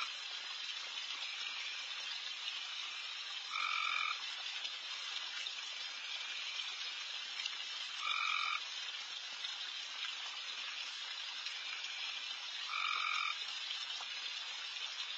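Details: Late-night backyard frogs, very loud and all over, while deer feed; a constant sizzling chorus with three short, louder two-toned buzzes spaced about four to five seconds apart.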